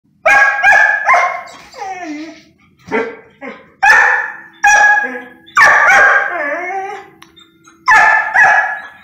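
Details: Poodle begging for food as if starving, though never actually hungry; loud harmonic yelps and whines with sliding, falling tones, about eight outbursts in nine seconds, a man speaking to the dog afterwards.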